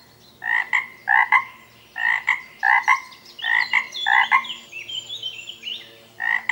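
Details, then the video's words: A frog in the water gives short, harsh, two-toned croaks in quick pairs and bursts. "FROG SOUNDS, Frog Sound Effects, Frog Sounds Noise in The Water"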